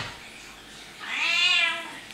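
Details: Cat inside a home meows once after a silent pause, a bright harmonic call lasting under a second that arches up and falls away.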